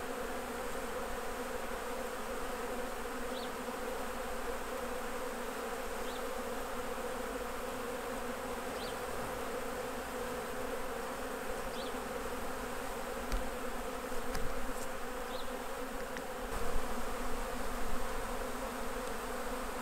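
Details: A honey bee colony drones steadily at the hives while honey is removed for harvest. The dense buzzing holds level, with faint high ticks every few seconds and some clattering handling noises toward the end.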